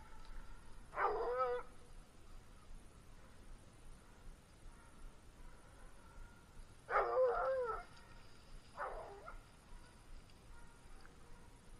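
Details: Bluetick Coonhounds baying after jumping game on a hunt. Three distant, ringing bawls with wavering harmonics come near one second, seven seconds and nine seconds, separated by quiet stretches.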